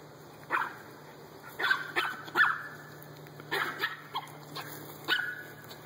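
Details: Playing dogs at daycare in a backyard, a Dalmatian, an American bulldog and a Chihuahua; a run of short, higher-pitched barks and yips in irregular bursts, some quick doubles, with a constant low hum behind.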